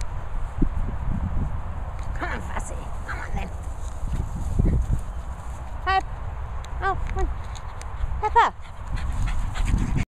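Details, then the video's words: Jack Russell and Pug cross dogs, two of them, giving high, rising whines and squeaks in short bursts over a background of rustling and a person talking. "Jug (Jack Russell X Pug ) dogs"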